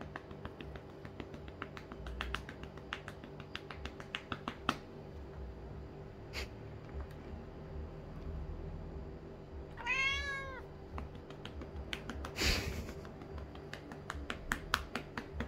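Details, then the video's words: Mico, a blue-eyed male Lynx point Siamese cat indoors, gets rhythmic pats on his rump, heard as steady soft taps. Around ten seconds in he lets out one loud, harmonic meow that rises and falls as the patting pauses. A few more taps follow. "Crazy cat meows loudly when I stop spanking him"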